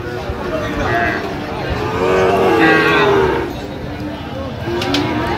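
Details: Sahiwal bull calves at the traditional Ambari cattle market in Dinajpur district, Bangladesh, on 3 October 2025. A drawn-out, wavering low moo rises out of steady crowd chatter and market noise, then fades back into the hubbub.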